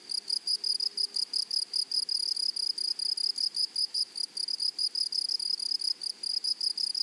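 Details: A grasshopper chorus in a flowery meadow produces crisp, high buzzing bursts that repeat in quick, regular beats several times a second. The pulsed rhythm is sharply marked over a soft outdoor hush.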